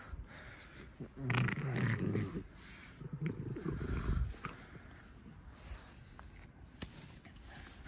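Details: Alice, a domestic pet fox, makes two rough, noisy growling bursts lasting about a second each while playing indoors. Claps and a voice can be heard faintly around them.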